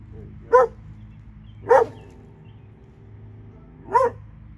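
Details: Three evenly spaced single barks about a second or more apart from one of two dogs in Alabama, with a low droning hum behind.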